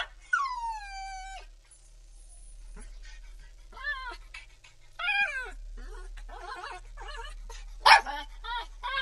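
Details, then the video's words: A pit bull puppy cries with one long whine that falls and then levels off, followed after a pause by shorter wavering whimpers and a sharp squeal near the end. "Pitbull Puppy Crying"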